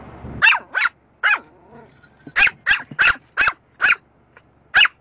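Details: A pet dog barking at a moving windscreen wiper: sharp, high yappy barks, about nine over five seconds, in quick pairs and singles with short gaps, plus a faint low growl between bursts.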